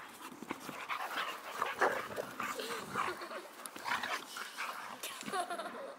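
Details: Male Boxer dog playing with a female playmate outside Landskrona, Sweden: a steady run of panting breaths mixed with short thin whining squeaks and scuffling noises throughout.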